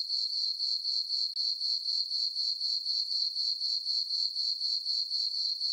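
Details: Crickets at night on a farm meadow beneath a full moon in summer, chirping as a steady, high, metallic ringing with regular pulses near four per second, free of other sounds.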